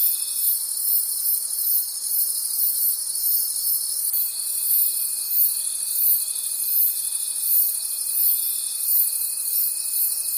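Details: A shrill insect chorus of crickets in the night forest, pulsing evenly, with a thin sustained tone that drops out briefly around four seconds and then resumes.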